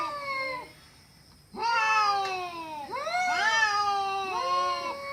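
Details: Cats fighting with loud yowls: after a quiet pause, long harmonic wails start, overlapping and bending up and down, several drawn-out cries following one another.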